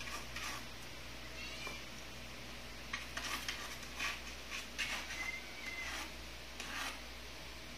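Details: Indoor kittens, three of them at 49 days old and still nursing from their mother, make faint short high meows scattered over several seconds among clicks, rustling and steady room hum.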